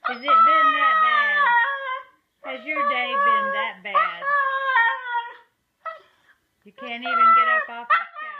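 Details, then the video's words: Siberian Husky singing and talking in a small room: long, wavering, harmonic howls broken into several phrases with short pauses, some notes bending downward, others warbling quickly. "Huskies Singing 🎤 | Husky Singing & Talking"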